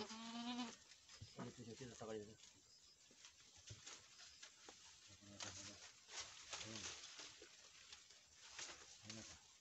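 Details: At a Nepali Boer goat farm after a young doe's first successful kidding of a buck kid, one steady harmonic bleat opens the recording, followed by shorter wavering sounds and human voices.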